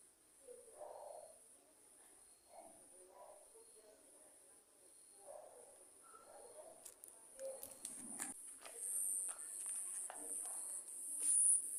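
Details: Crickets at night during a lightning storm, a continuous shrill high-pitched drone held steady throughout, with faint low murmurs beneath and sharp crackling clicks toward the end.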